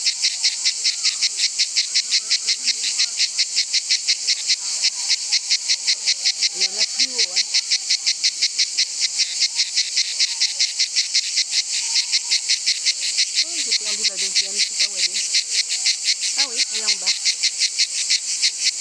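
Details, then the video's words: A cicada in Nîmes sings a loud, shrill buzz of rapid pulses that carries on steadily without a break. "chant de la cigale à Nimes"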